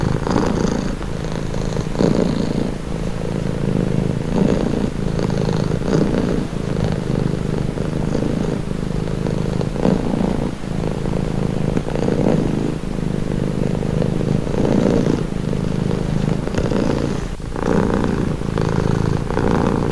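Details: Calming purr of a house cat, a low rumbling drone that runs unbroken, softly rising and falling in strength with faint brighter rasps now and then.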